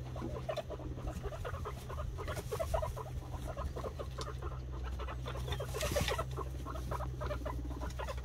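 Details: Boar Ragnar meets white guinea pig sow Snow on a homestead; dense, quick, stuttering pulses chatter on without pause, punctuated by soft rustling thumps, all over a constant low hum.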